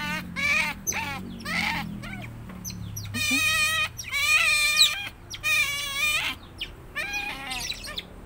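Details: Tame pet otter heard up close, its voice described as cute and very shrill: rapid high-pitched squeaky chirps in short harmonic bursts, repeated roughly every second, over a low background hum.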